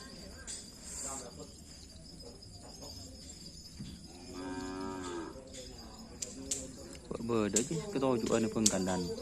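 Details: Racing bulls of a karapan sapi team training at a field in Asemanis; a drawn-out moo near the middle, then louder, harsh lowing calls toward the end.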